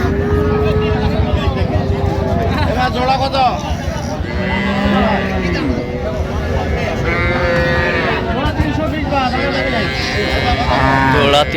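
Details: Improved-breed milking cows and calves at the Raniganj market, Dinajpur, 26/11/25: repeated long moos, some deep and level, others higher and arching, overlapping from several animals amid busy market voices and traffic.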